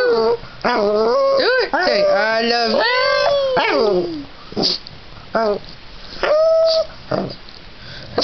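A Boston Terrier howls in long, wavering, tuneful notes while a person repeats "I love you".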